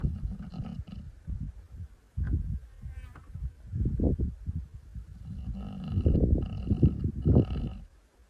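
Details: Wild male lion of Masai Mara asleep on 14 November 2025, snoring in low, rough, rumbling breaths of uneven length, with short pauses between them; a faint higher tone is heard in places.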